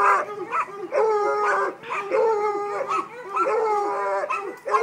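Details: Treeing Walker Coonhound pup, five months old, baying in drawn-out, harmonic-rich howls with rising then falling pitch, several overlapping long notes separated by brief gaps, while being urged on by a man.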